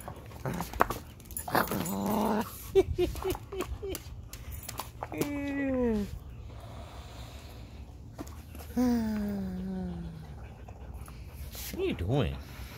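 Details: Whiskey, an Alaskan husky, playing with two balls and not wanting to share his toys; two long downward-sliding whines, one after five seconds and another near nine seconds, with shorter yips and a man's voice earlier.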